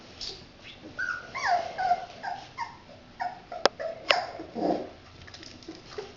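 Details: Red Standard Poodle puppies playing with their father. Soft, high whimpering yips, some sliding downward, come in quick irregular runs. A couple of sharp clicks are heard.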